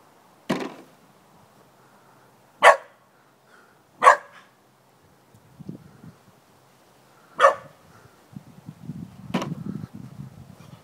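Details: Luna, a puppy a few months old, barking at an ominous-looking bucket, among her first barks. Five sharp single barks at irregular intervals of one to three seconds, with soft rustling and low scuffling between them.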